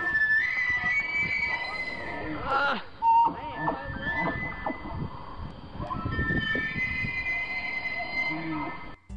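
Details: Elk; bugle; courtship, attracting mates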